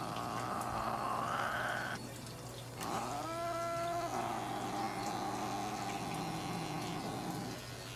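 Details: Kone-chan, a Norwegian Forest cat being treated at a Nagoya veterinary clinic, lets out a rising wail and then a clear, tonal meow lasting about a second. Rustling handling noise and a constant low electrical hum run underneath.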